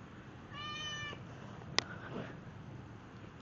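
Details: Snowshoe cat playing fetch indoors: one clear, high, ringing meow lasting about half a second, then a sharp click, a faint second murmur and quiet room hum.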